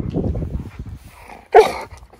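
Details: Large Siberian husky guarding its owners against a small scary person that was not real: quiet human talk, then a single sudden, loud, short woof with a harsh, noisy edge, followed by a brief fade.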